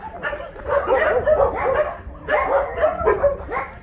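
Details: Many dogs at a Korean rescue shelter, the Ulsan Narae-ul Center (old Mindeulle Shelter), bark continuously during volunteer work; bursts of yappy, high-pitched barks come in two waves with a brief lull between.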